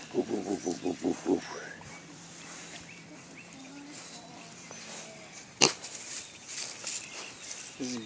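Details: Three young pot-bellied pigs kept as pets, which love rooting up the ground: a quick run of about seven short, throaty grunts in under two seconds, then quieter, a sharp knock, and a few more grunts at the end, with a person talking.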